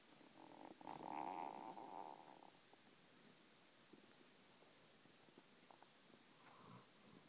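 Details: German Shepherd named Saint, a year and a half old, asleep on a lap and snoring. One long buzzy, rumbling breath lasts about two seconds, then there is quieter breathing with faint soft clicks.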